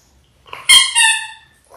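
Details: A Labrador Retriever puppy, one of six littermates in their sixth week indoors, gives a single loud, high whining yelp of about half a second with a sharp onset and a steady ringing tone, then a faint rustle.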